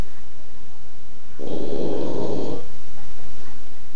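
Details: Sleeping Boston Terrier gives a single harsh, rattling snore lasting just over a second. Near-silence comes before and after it, and no other sounds are present.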